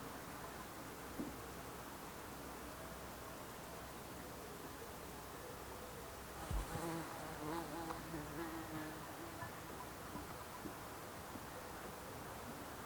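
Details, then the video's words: Bees and other insects in the Alpstein massif mountains of Switzerland, heard as a soft, low, droning buzz that swells and wavers in pitch for several seconds mid-recording over a quiet, steady background hiss. "bees & insects buzzing"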